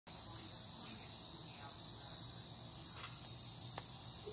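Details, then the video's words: Cicada chorus recorded in Broken Arrow, Oklahoma, in August 2020: a steady, dense, high buzzing hiss that holds without a break through the whole stretch, over a faint low rumble and a couple of brief clicks. "Cicada Chorus"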